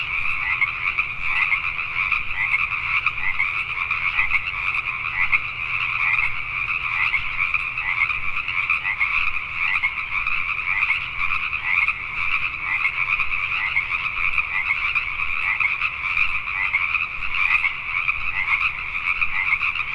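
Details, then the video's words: Pacific tree frogs calling together after dark in Richmond, British Columbia, Canada, their crowded croaks merging into a continuous, trilling drone that barely rises or falls, with a faint low hum beneath. "Pacific Tree Frogs at Night"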